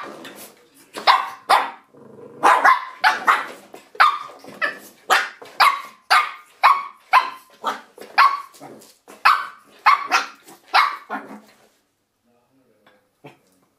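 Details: Shih Tzu puppy, called Misty, attacking a door stop indoors, yapping steadily for about eleven seconds with high sharp barks roughly every half second, then falling silent apart from one last faint yip.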